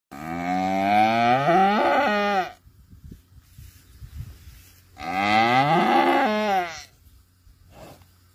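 A cow gives two long, loud moos, each rising then falling in pitch, with a pause between.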